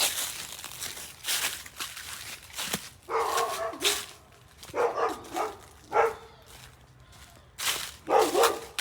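A dog gives short, harsh barks and yips in quick bursts, with a rough, noisy edge.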